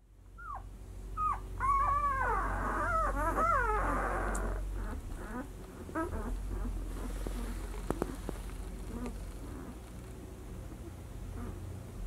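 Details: Litter of six-day-old White Swiss Shepherd puppies from 2019: a burst of high, squeaky whines and yelps overlapping during the first four seconds, then softer scattered squeaks and shuffling over a steady low hum.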